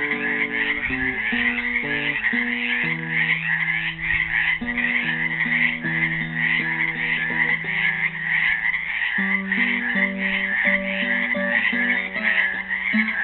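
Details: Chorus of frogs trapped in a Helix, Oregon pool on Earth Day 2016: a continuous wall of quick, trilled, grating croaks, accompanied throughout by a played classical guitar melody with plucked notes and chords.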